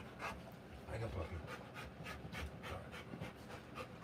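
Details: Rottweiler during the live birth of her puppies, breathing in soft, rapid, breathy pants, roughly four per second and evenly spaced, over a low steady background hum.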